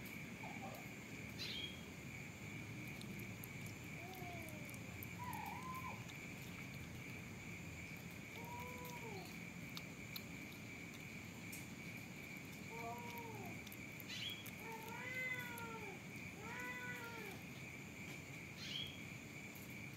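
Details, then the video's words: Kitten trying to eat dry food mixed with wet food, giving short arched mews, single and in quick pairs, increasing toward the end, over a steady high insect drone and quiet outdoor background noise. "KITTEN TRYING TO EAT DRY FOOD MIX WET FOOD"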